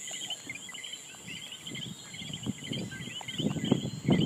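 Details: A dense night chorus of common coqui frogs in Puerto Rico, their short chirping calls overlapping above a steady insect hum.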